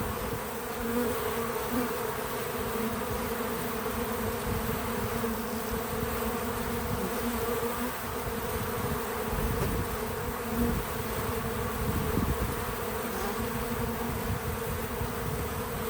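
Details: Pollinating bees crowd an outdoor feeder on a small farm, an unbroken droning hum with gently shifting pitch and occasional nearer fly-bys.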